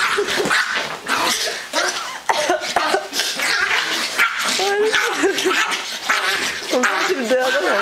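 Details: Excited miniature poodle after ten hours on the Autobahn, giving high wavering whines and short yelps that rise and fall, overlapped by people talking and laughing in Swedish.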